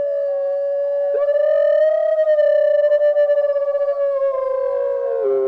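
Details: A North American gray wolf (Canis lupus) gives a long, smooth howl that swells slightly, holds steady, then sinks at the end.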